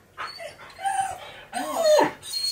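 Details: Male Siberian Husky, pet indoors, excited after a recording says his best friend is coming over; two short whiny, rising and falling vocal phrases with a breathy snort between them, a person talking just before and after.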